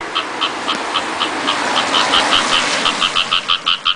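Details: Masked palm civet calling from a roadside ditch at 2 a.m. in light rain: a rapid series of about twenty short, clear, chirping notes, speeding up and growing louder toward the end, over a steady hiss of rain.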